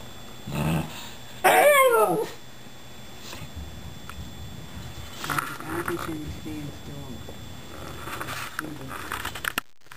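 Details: A Shiba Inu "talking" to two rescued cats gives a burst of wavering, whiny yodel-like vocalizations, with softer murmurs after.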